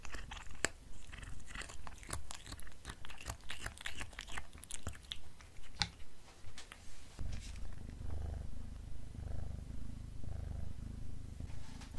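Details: Pet black cat eating beef snacks: dense crunching and biting clicks over a rhythmic low purr for the first seven seconds, then the chewing stops and the purr continues alone, louder and smoother.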